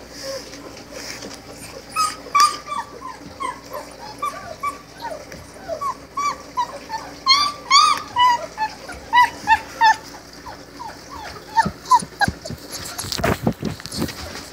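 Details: Four-week-old Great Dane puppies whimpering and yipping, a steady stream of high, squeaky, downward-sliding cries overlapping one another, with a brief burst of rustling handling noise near the end.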